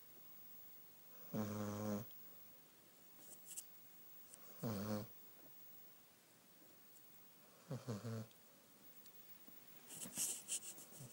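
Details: Beagle asleep indoors, snoring: three buzzy, harmonic snorts about three seconds apart, each under a second long, followed by a brief hissy rustle in an otherwise quiet room.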